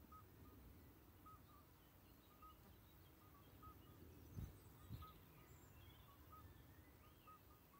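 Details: Common midwife toads call by day, unusually, at Schaelsberg near Valkenburg, South Limburg, Netherlands; they give short, pure, bell-like piping notes repeated every second or so.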